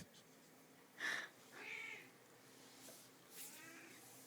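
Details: Female house cat Checkers, out of food and asking to be fed, gives short meows after a sharp click: a brief nasal mew then a softer falling one, with a quiet third call trailing off indoors.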